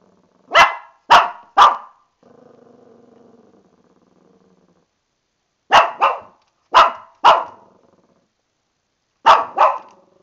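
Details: A female Shih Tzu, angry at being about to get a bath and unable to get out of the tub, gives sharp, high yappy barks in quick bursts of two or three, with a low growl between.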